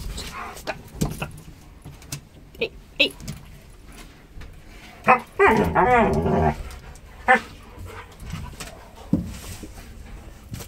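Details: One of two Alaskan malamutes crowded into a very small elevator gives a brief, wavering, yodel-like howl amid thumps and scuffling.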